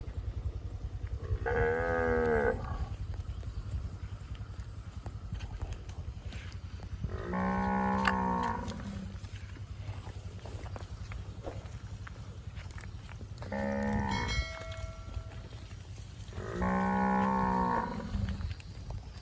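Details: A fat cow grazing in bushes, eating grass, gives four loud harmonic moos spaced several seconds apart, each about a second long, over steady low background rumble.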